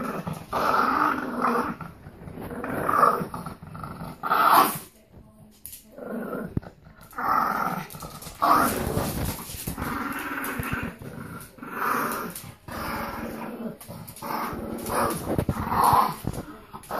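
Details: Pair of Boston Terriers in a tug game, growling steadily: long rumbling growls rising and falling in waves, with a few brief squeaky whines and short pauses in between.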